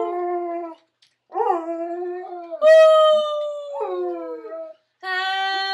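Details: A pet Otterhound mix howls in sustained, tonal notes. Short bursts scoop upward and are followed by a loud, steady, long-held tone, and brief pauses separate the phrases.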